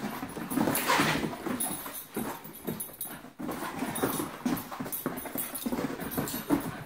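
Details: Puppies at play, showing good calming signals: a busy run of short, rough, irregular bursts and scuffles, several a second, with louder grunting pulses near the start and brief pauses between flurries, indoors.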